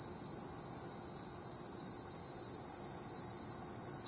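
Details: A continuous high-pitched ringing chorus of bell crickets beside the sea, steady and unbroken, with a faint low background rumble and a small knock at the very end.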